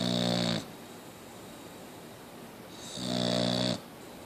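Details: Two rattling, buzzy snores from Mia the Boxer dog, one at the start and one near the end, separated by a quiet two-second pause indoors.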